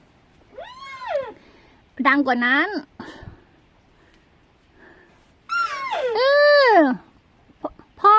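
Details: Hungry Rusa deer calves at a farm, late morning around 11 a.m. on Sunday 7 May 2023, bleat loudly in drawn-out, arching, nasal calls, calling for food, with a person talking between calls.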